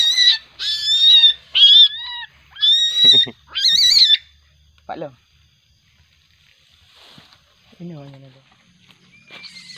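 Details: Juvenile common palm civet, agitated at night: a burst of loud, shrill harmonic squeals wavering high, about four in quick succession, then quieter sounds and a human voice.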